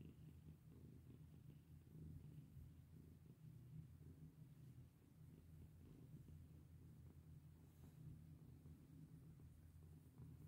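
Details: Pet cat being stroked, giving a continuous deep purr that holds steady for the whole stretch, low and even, with soft scratching sounds from hands on fur.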